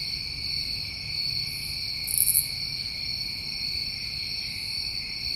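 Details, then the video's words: Summertime crickets in New England keep up an unbroken, high, even trill, with a single sharp buzzy burst rising above the chorus midway. "Over 1 Hour Of Tinnitus Masking With Crickets"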